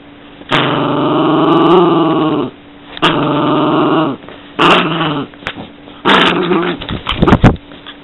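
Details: Yorkshire Terrier growling in long, steady rumbling bouts of about two seconds, separated by short pauses, then shorter broken growls with a few sharp yips near the end.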